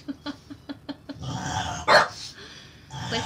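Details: Porco, a cream French Bulldog male aged five, barking hard enough to lift his front paws: a run of quick soft thumps, then a grumbling growl and one loud sharp bark, with people talking nearby.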